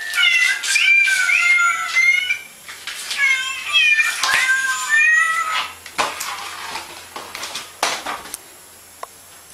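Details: Pet cat giving a rapid string of insistent, wavering meows for about five seconds, then quieter scattered mews and soft clicks as the calling fades.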